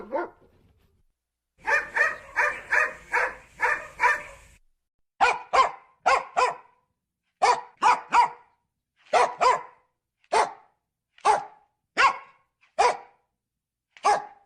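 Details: Dog giving a long run of sharp, clipped barks: a fast cluster of about seven, then single or paired barks spaced roughly half a second to a second apart.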